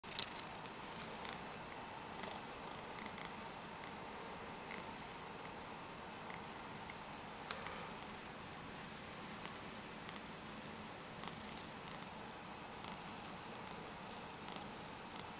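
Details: Mojio, a spoiled Ragdoll cat, purring indoors while being stroked after asking for pats; a steady, continuous low rumbling runs throughout, with a few faint soft clicks.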